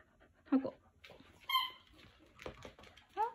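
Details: Jack Russell Terrier playing indoors in a small room, giving short whining yelps and a brief rising whimper between high squeaky tones, while a person's voice repeatedly asks it to hand something over.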